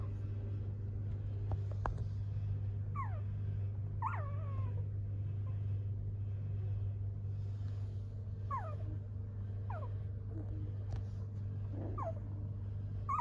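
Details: Golden Retriever puppies giving high, squeaky whimpers that rise and then fall in pitch, about six short cries scattered through the recording, over a steady low electrical hum.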